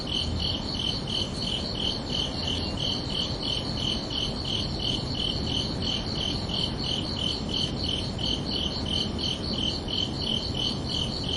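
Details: Crickets chirping at night, summer evening ambiance: a steady train of short, high, bright pulses, roughly three each second, about thirty-two in all, with no pause over a soft, constant low rumble and hiss.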